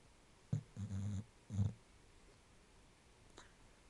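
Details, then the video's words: Sleeping bulldog snoring and percolating like an old coffee maker: low rumbling snorts, one short burst then a longer rattling breath and another burst, with a faint click near the end in a quiet indoor room. "Snoring & Percolating"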